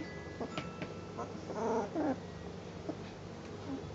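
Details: Ten-day-old Northern Inuit Dog puppies at Honiahaka learning to walk; a short wavering whine rises and falls near the middle, with faint shuffling and soft squeaks around it.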